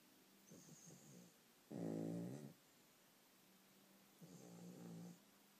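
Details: Sleeping dogs snoring, one of several loud snorers: a soft fluttering snore near the start, then a strong rasping snore around two seconds, and another longer rumbling snore toward the end, with quiet gaps between.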